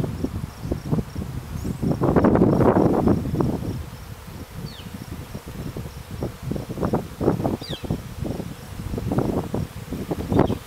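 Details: Honey bees emerging from their clustered hive after a cold winter in Stillwater, Minnesota, near wild mustard; low, rough buzzing comes in swelling bursts, loudest around two seconds and again later, with brief fluttering pulses between.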